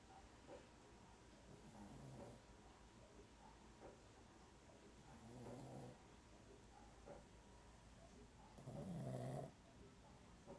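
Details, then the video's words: A sleeping dog lying awkwardly and snoring: three soft, low rasping breaths spaced a few seconds apart, the last longest and loudest, over constant faint background hiss. "Dog sleeping awkward and snoring"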